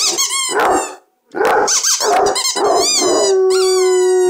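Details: A noisy two-year-old Basset Hound bays in loud harsh bursts, a brief pause, then more rough baying that ends in a long, steady, drawn-out howl.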